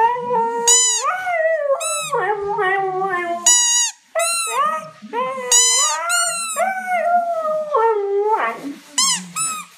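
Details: Sustained singing howls from a Siberian Husky, with smooth pitch glides that swoop up and then sag, running almost continuously with a short break midway and sharp high yips between phrases.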